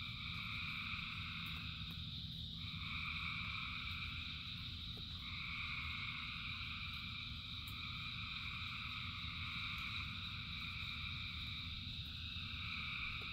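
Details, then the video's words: Thousands of frogs singing in rain form a dense, unbroken chorus of overlapping trills in two bright pitch bands, with one band briefly dipping and returning, over a steady low rumble of rain. "Frogs in Rain 2 Hours of Frogs, Thousands of Frogs Singing"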